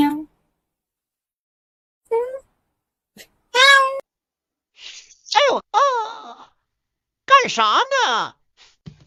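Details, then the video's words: Kitten meowing in short, separate calls spaced a second or two apart, several bending upward and then sliding down, over an otherwise quiet background. "kitten meowing call"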